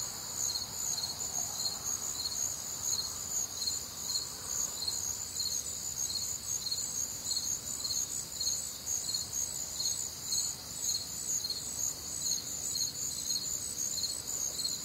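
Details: Crickets calling through a warm, humid summer night in the Midwest; bright, piercing pulses about twice a second stack over a constant high trill, with a soft low murmur beneath.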